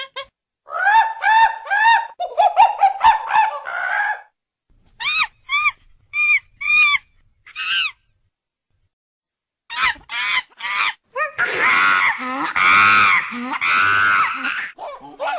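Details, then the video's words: Monkey giving bursts of high, harmonic chattering calls, short rising whistle-like cries in quick runs, a silent gap, then loud sustained screeching squeals near the end. "Monkey Sound Effect"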